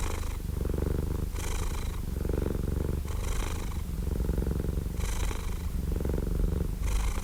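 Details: Domestic cat purring steadily: a low, continuous rumbling pulse that swells and eases with each breath, the breathier phases returning roughly every one to two seconds, with no other sounds.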